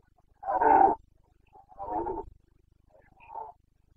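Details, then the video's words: Carpathian red deer stag bellowing during the September rut in Bucovina, 2022; one strong rasping roar, then a second slightly softer one, and a brief faint trailing grunt, with nothing else audible. "Boncănit / Carpathian stag Breeding season"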